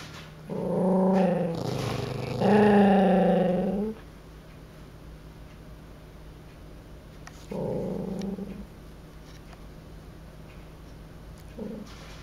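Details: Puppies play-attacking a man, giving low, rumbling growls with a whiny edge: two long growls in the first four seconds, then shorter ones near eight and eleven seconds over steady background hiss.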